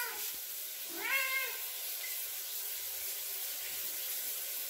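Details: Ragdoll cat Bowie at the shower door calling for attention, refusing to stop until it opens: one clear, rising-then-falling meow near the start, then only the constant rush of shower water.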